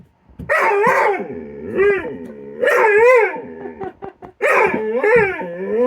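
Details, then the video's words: Kilo, a dog, playing with Korra by her tree, snapping at empty air without biting in their usual game; three long, warbling, harmonic howl-like grumbles, each rising and falling for about a second, separated by short pauses and faint snapping. "Kilo and Korra make funny noises when they play"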